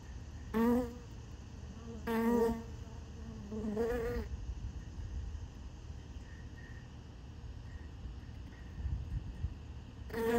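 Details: Honey bees gathering at sugar water set in a piece of honeycomb; three short buzzing fly-bys in quick succession, a fourth at the very end, separated by a quiet background hum.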